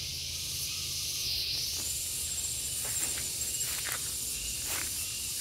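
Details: Gareng pung cicada giving a steady, piercing high buzz that holds at constant loudness throughout, with a faint low rumble in the background.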